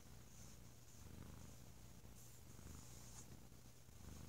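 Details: Sleepy male domestic cat lounging indoors over a lazy holiday weekend, purring loudly with a nice deep tone: a steady low rumbling purr, continuous throughout with gentle pulsing, over a faint background hiss.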